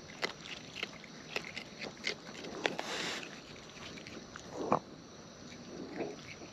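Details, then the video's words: Raccoons in the wild feeding close to the microphone: sharp wet clicks and crunchy bites every half second or so, with one louder smacking chew near the end. "Wild Raccoons & ASMR Chewing Sounds"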